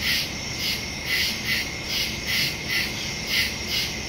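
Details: Nighttime woodland crickets, captured September 2, 2023 with a Shure MV88+ stereo microphone on a Samsung Galaxy S22 Ultra; shrill chirps pulse rapidly and fairly evenly, several per second, layered over a constant high trill.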